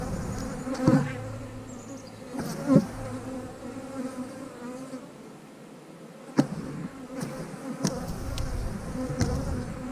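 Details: Honey bees at an eight-frame hive in a backyard apiary during hive splits: a steady low droning hum with a few brief buzzy swells as bees fly close, plus sharp knocks and clicks from hive handling.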